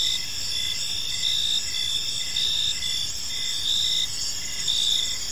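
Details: Chirping crickets at dusk in a park: a dense, high, ringing insect chorus with regular pulsed chirps near one per second and a faint low hum beneath.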